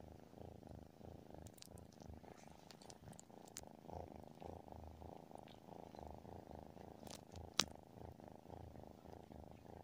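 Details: Sleeping tabby cat purring steadily, a low rumbling pulse held throughout without a break, with scattered faint sharp clicks and ticks above it and one brief louder tick late on.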